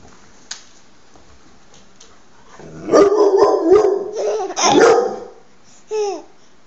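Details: Dogs that a four-month-old baby is laughing at give a two-second burst of loud, harmonic yelping barks, then a short falling whine-like yip after a pause, with a voice repeatedly calling out a name nearby.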